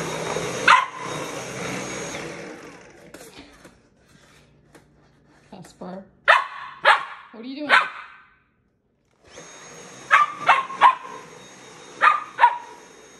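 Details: Puppy Casper, a Samoyed, facing off with a vacuum cleaner, fires bursts of high yips and barks, some in quick runs, while the machine roars, cuts out briefly, then starts again.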